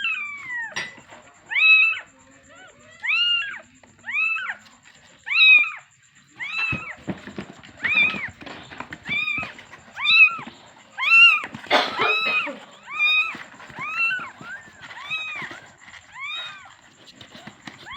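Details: Kitten calling its mother, meowing insistently with clear arched cries, about one per second, steady for most of the stretch, with a burst of rustling noise midway and a faint high-pitched hum throughout.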